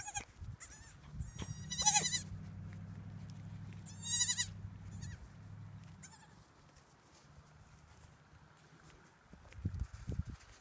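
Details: Tiny goats giving brief, high, quavering bleats at irregular intervals, with a low steady hum underneath for several seconds and faint rustling toward the end.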